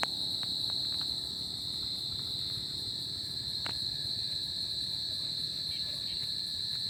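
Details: Tropical summer night with crickets calling: one continuous shrill ringing tone that holds level throughout, a thin higher echo above it, a few faint ticks and a low murmur of background noise.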